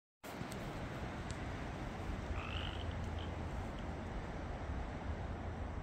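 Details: A dense chorus of Pacific chorus frogs, many overlapping croaks merging into a steady rattling roar, recorded 9 March 2024 at Mill Creek, Washington.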